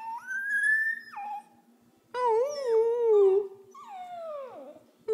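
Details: Female Pembroke Welsh Corgi puppy, 11 weeks old, imitating her owner's howl: a rising whine held high, then a wavering lower howl, and a long sliding downward whimper.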